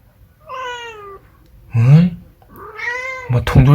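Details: Indoor Munchkin cat meowing twice, a long wavering cry then a second rising-and-falling meow, with a person's voice cutting in loudly between and after the calls.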